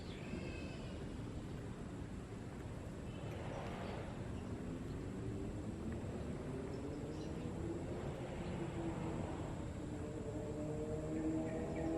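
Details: A low engine drone builds through the clip, with a rising harmonic hum near the end, over steady outdoor rumble and no clear animal voice.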